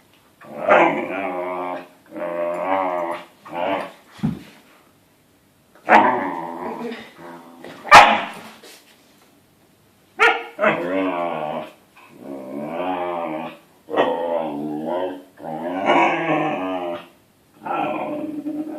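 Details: Siberian Husky puppy wanting its adult companion to play, giving a series of long, wavering howl-like moans with strong harmonics, each lasting about a second, broken by a few sharp clicks and short gaps.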